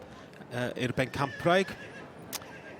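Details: Welsh Cob foals at a foal championship show. A loud, quavering whinny in several wavering pulses lasts about a second, followed by a brief sharp noise, with a speaking voice nearby.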